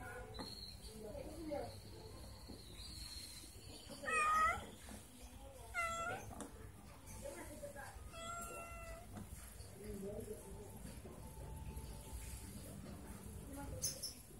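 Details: An Angora cat meeting two village cats: drawn-out, wavering meows, with quiet voices and a low background hum.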